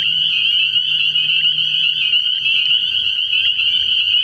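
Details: Early-year night chorus of spring peepers at a frog pond: many high piping calls merged into a continuous shrill band, with a faint low droning tone in the first seconds.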